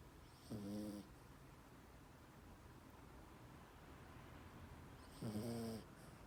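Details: A sleeping miniature pinscher snoring indoors: two short, nasal, buzzy snores about half a second long, spaced roughly four and a half seconds apart, with near silence between them.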